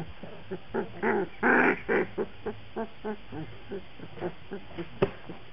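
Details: Black Labrador Retriever puppies giving quick, yelping whimpers, a louder burst of overlapping cries early on, then softer squeaks spaced about twice a second, with a sharp click near the end.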